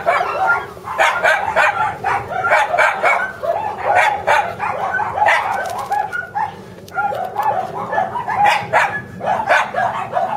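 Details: Over ten seconds a spirited Shiba Inu puppy of anticipated mame-shiba size keeps up shrill, rapid barking, clusters of quick yaps separated by short pauses, one clear gap near the seven-second point before the barking resumes.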